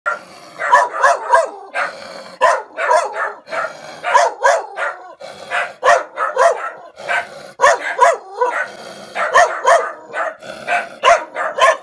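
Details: Dog barking while reacting to a stranger: rapid bursts of sharp, harsh woofs, many in quick pairs and triplets, with short pauses between volleys.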